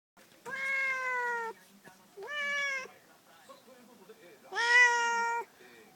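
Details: A cat disturbed from its afternoon nap gives three long, drawn-out meows, each about a second long, steady in pitch with rich harmonics, separated by short pauses with faint softer sounds between.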